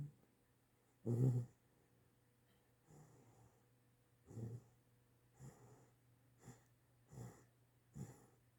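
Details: Chocolate Great Dane puppy, eight weeks old, asleep and dreaming after a few walks around the yard; soft snoring breaths come in irregular bursts every one to two seconds, one louder snort early on, in a quiet room.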